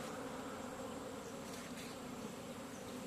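Honey bees fill the air with a steady, droning buzz that hums without a break.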